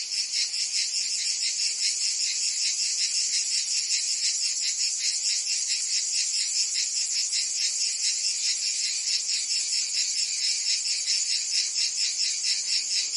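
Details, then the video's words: Cicadas singing through a summer day in Provence, France: a dense, unbroken high-pitched buzzing chorus with a fast pulsing rhythm, steady in loudness throughout, no other sounds standing out. "Cicadas singing in France (Provence)"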